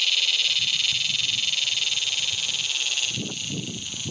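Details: A razor grinder cicada (Henicopsaltria eydouxii) in Australia calling at dusk gives a loud, continuous, high-pitched grinding buzz with a rapid pulsing texture.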